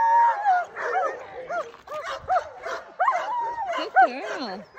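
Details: Alaskan Malamutes Sojou and Dotty, two female sled dogs, ready to set off at full speed chasing a bigger sled dog team on a cart: overlapping high yelps and wavering, rising-and-falling whines from several dogs, with brief human voices.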